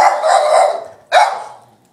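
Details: Maggie, a 4-year-old female Boston Terrier, sings along with a guitar being played, howling in a long, steady, mid-pitched note, then starting a second, shorter howl.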